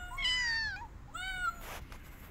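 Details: Street kitten after rescue, restless to go back out and unwilling to eat, calls with two quick, loud, rising-then-falling meows in close succession, followed by a soft noisy rustle.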